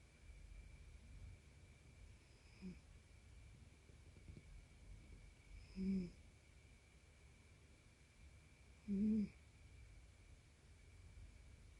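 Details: Aqua, a Tonkinese cat with a history of rhinitis, snoring while asleep with the volume boosted. Three soft, low, breathy snorts come several seconds apart, the last two louder, over a faint steady hiss.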